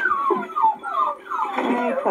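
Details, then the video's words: Several of a litter of eight noisy puppies whine and yelp together, with overlapping high, sliding whimpers and short howl-like cries that fall in pitch. "Noisy Puppies!"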